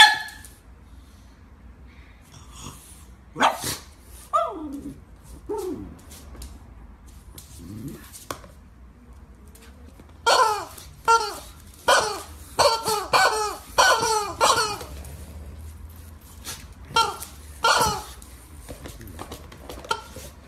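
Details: Pug barking in short, sharp bursts: a few scattered barks early on, then a rapid run of about eight barks over five seconds, and a few more toward the end, with faint room noise between.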